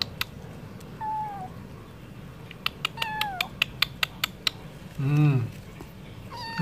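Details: Stray cat meowing for wet food: several short, falling mews, thin and tonal, spaced a second or two apart, mixed with a run of sharp clicks and one brief low rumbling burst near the end.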